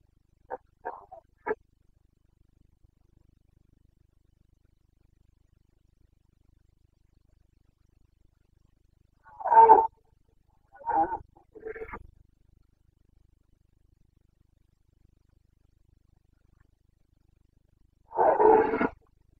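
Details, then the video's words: Carpathian stag in Bucovina, Romania, in the autumn breeding season: brief, faint grunts at first, then after a long silence several short rough roars and one louder drawn-out bellow near the end. "Boncănit / Carpathian stag Breeding season"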